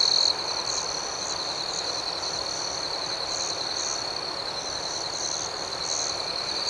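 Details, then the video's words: Crickets at night form a continuous high-pitched ringing drone, with soft pulsed chirps layered above it at an uneven pace and no other animals or people audible. "Soothing Cricket Sounds"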